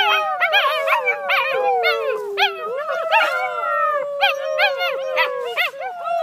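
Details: Gus and his littermates, a group of puppies, in a dense chorus of howls: sustained wavering tones sliding slowly downward beneath a rapid stream of high arched yips and squeals from several pups, continuous throughout.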